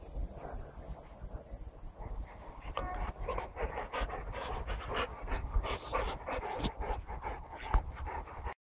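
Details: Saint Bernard named Hammer panting, a fast run of short rough breaths repeating through the clip, with a steady high hiss over the first two seconds.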